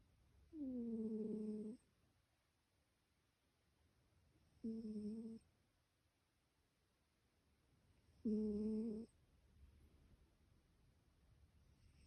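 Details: Cat snoring: three tonal, whistle-like snores with a buzzy stack of harmonics, each lasting about a second, recurring roughly every four seconds against a quiet background.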